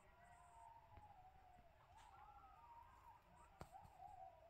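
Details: Several coyotes (Canis latrans) howl together outside a tent in wavering, siren-like tones that rise and slide across one another.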